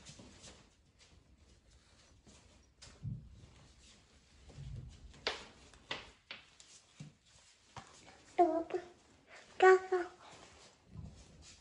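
A Norwegian Forest Cat greets its returning owner with a pair of short, bright meows, the second slightly longer. Soft thumps and footsteps in a quiet room come before the calls.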